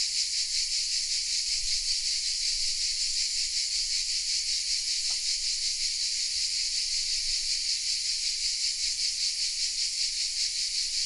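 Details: Song of cicadas nestled in oaks in Vézénobres, south of France, Sony RX10 M3 recording: continuous high-pitched rasping buzz with even rhythmic pulses, one brief faint click midway.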